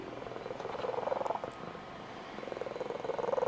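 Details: Blue Point Tonkinese female cat giving her special squeaky, high-pitched trilling purr, heard each morning as she gets her owner out of bed and when excited; a rapid, steady pulsing purr that eases briefly midway, then builds again.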